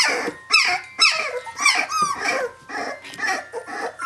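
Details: Seventeen-day-old puppies of Brenda cry out for their mother, bursts of shrill squeals and rising whines about twice a second, several pups overlapping in a small room.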